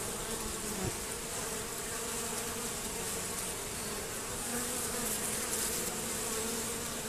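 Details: Many honey bees give a steady, dense drone of wingbeats at a hive entrance. The entrance was reduced and fitted with a Z-shaped screen to stop robbing, and a few robber bees keep trying.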